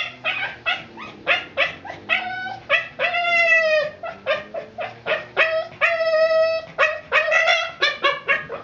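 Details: Frustrated Boston Terrier whose ball has rolled out of reach, mixing short sharp yips with longer drawn-out harmonic whines and howl-like cries, in quick uneven bursts.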